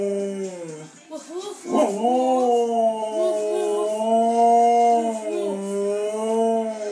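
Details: Pet Siberian Husky "talking" back to a 10-year-old boy who speaks to it. After a brief wobbly vocal start, the dog gives long, drawn-out, rising and falling howl-like moans that waver smoothly and run almost without a break.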